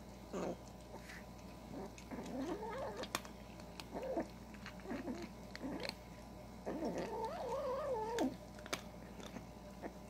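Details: Kitten growling while eating: a string of short gruff growls followed by a longer wavering yowl near the end, with crunching chewing clicks throughout and a faint steady background hum.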